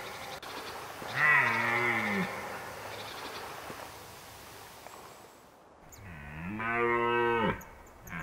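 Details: Autumn roaring of a red deer at Krasny Bor, Belarus: a deep, rough, harmonic bellow about a second long, a quiet pause, then a second louder drawn-out roar that rises and falls away abruptly.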